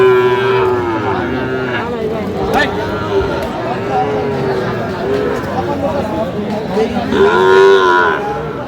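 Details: Sahiwal bull calves at a market in Faridpur on 17 August 2025: a drawn moo opens, another follows mid-way, and a louder bellow comes near the end, with constant crowd murmur and haggling voices behind.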